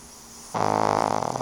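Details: Fran Q, a small two-year-old pug, gives a loud, droning snore indoors during TV time; a sudden, rough, buzzing rattle with rapid pulses that carries on to the end.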